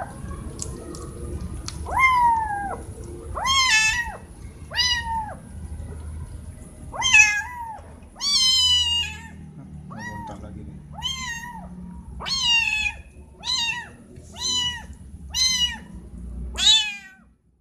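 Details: Four cats meowing loudly, wanting something such as food or attention; a rapid series of harmonic, arched meows, some overlapping, repeating every second or so, with low rumbling background noise.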